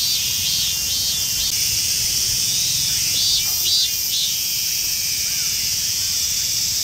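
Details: Emerald-green Mikado-type minmin cicada found in a park in western Saitama Prefecture, Japan. A loud, shrill, continuous high buzz with arching notes that rise and fall, pulsing several times a second, over a low rumble of background noise.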